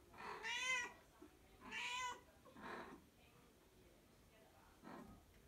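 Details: Domestic mother cat calling for her second litter of kittens, born outdoors; four drawn-out, harmonic meows at irregular gaps, the first two loudest and slightly rising then falling, the later ones fainter, in a quiet room.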